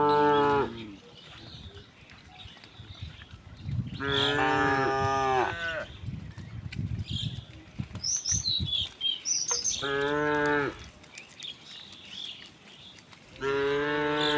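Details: Cows returning home as a herd through village streets on a bright morning, mooing repeatedly: four rich, steady moos of one to two seconds each, spread over fourteen seconds, with scattered bird chirps and footstep rustle between calls.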